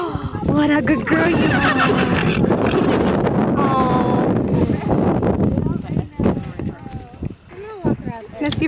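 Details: Percheron mare at a horse show, in sunshine, calling her stable mates with a loud, wavering whinny, mixed with close human talk and some hoof or handling noise.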